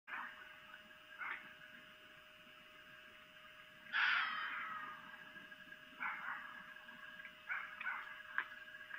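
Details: Female red fox (vixen) giving mating calls at night, 3 April 2018 near 23:25, on a camera at Lolo, Montana: brief rough yelps, then one loud harsh scream at mid-clip trailing off, followed by several short hoarse barks.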